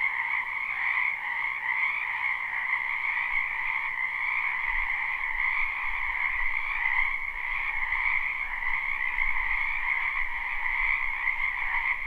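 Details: Spring wetland frog chorus, live recording: continuous massed croaking trills in two steady bands, many frogs overlapping, with a low rumble of background noise entering around the midpoint and continuing to the end.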